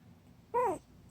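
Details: Indoor whimper from a household with 26-day-old puppies and their father Junggi, who wants to come up: one brief nasal whine that bends upward and falls away, against low room noise.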